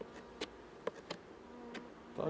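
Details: Honey bee colony buzzing as frames are checked during an inspection after a second lactic acid (15%) treatment, July 2019; low continuous hum broken by several crisp taps and clicks from handling.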